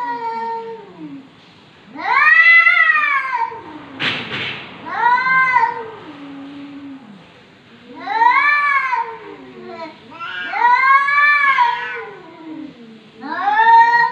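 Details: A domestic cat, called a talking cat, recorded in 2020, gives a run of long, arching, wavering meows about every two seconds, rising then falling in pitch, with a short noisy rustle between calls.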